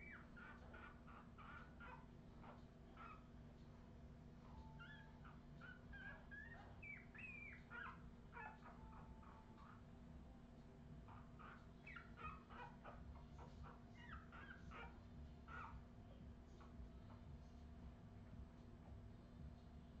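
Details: A 2018 litter of Australian Terrier puppies at Redwing producing squeaky whines, some drawn out into thin level tones and wavering cries, with chattering peeps between and a low hum beneath.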